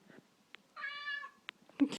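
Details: A house cat that wants to go outside gives a single drawn-out meow lasting about half a second. It is steady, then dips slightly at the end. Soft clicks and taps come before it, and a brief rustle follows.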